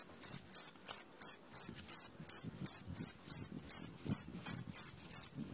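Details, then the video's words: Cricket heard in the middle of the night, giving piercing high chirps in a quick regular series, roughly one every third of a second, each a short buzzy pulse, over a soft low murmur. "SUARA JANGKRIK TENGAH MALAM"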